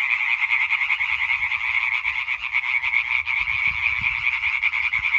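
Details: European tree frog concert from 20 May 2023: dense, ratcheting croaks from numerous frogs form a continuous rhythmic rasp, with some soft low thumps toward the end.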